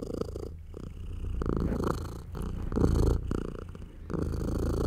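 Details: A British Shorthair mother cat nursing her tiny baby kittens purrs loudly with a low, steady rumble that rises and falls with each breath.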